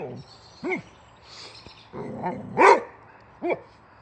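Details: Boxer Rex, a Swedish male boxer born in 2015, barking excitedly at a tire on a wheelbarrow; short yelping barks with rising-falling pitch arcs, scattered across four seconds, one louder bark near the middle.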